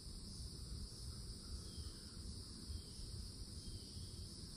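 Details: Cicadas in summertime Florida at the forest edge, perched in an old oak, keep up a steady, even, high-pitched drone in two bands, over a heavy low rumble of wind and distant noise.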